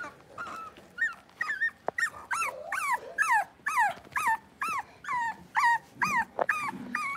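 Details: Blenheim Cavalier King Charles Spaniel puppies, six weeks old, in an indoor puppy pen: a steady run of high, wavering whimpers and yips, each curving up and down, repeated about twice a second.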